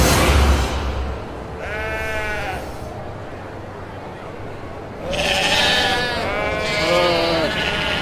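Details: Kacang goats giving a short quavering bleat, then a pause of low background noise, then a longer run of overlapping, wavering bleats from more than one animal.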